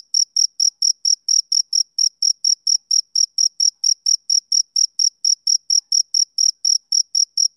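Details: Male cricket chirping on a summer evening: clean, high-pitched pulses at about four chirps per second, each bright and clipped with a faint higher overtone. No other sounds.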